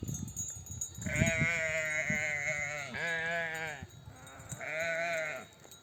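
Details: Mother sheep of a nomadic flock, back from desert pasture, bleating to nurse their lambs: three long quavering harmonic bleats, each about a second, with quiet gaps, over low rumble.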